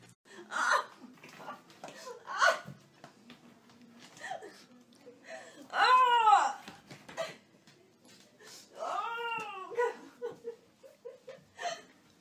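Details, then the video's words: Dog refusing bath time, indoors in a small room: high, arching whines rising and falling, a long one near the middle and another cluster later, with a woman speaking Spanish and English coaxing it to shower. "Dog Hates Bath Time And Does Everything To Avoid It"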